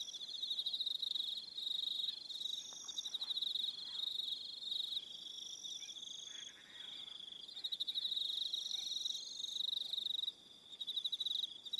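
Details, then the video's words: Evening chorus of crickets on Aroha Island in New Zealand, many callers producing continuous shrill pulsed trills at high pitch, some trains stopping and restarting, with little else audible. "Relaxing Evening Sound of Crickets"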